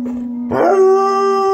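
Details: Pet dog howling along to other dogs on a screen: a steady low tone shifts into a sustained higher howl with strong harmonics after half a second, held to the end.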